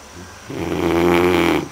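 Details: Great Dane snoring indoors: a single drawn-out, low rumbling snore that swells over about a second after a quiet start.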